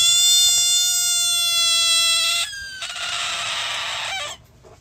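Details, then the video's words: Frog in the United States arching its back and deflating as a dog touches it: a steady, high whining tone rich in overtones lasting about two and a half seconds, then a breathy hiss like a balloon losing air, cutting off abruptly. "Frog Arches Its Back Sounding Like Balloon Loosing Air Soon as Dog Touches It"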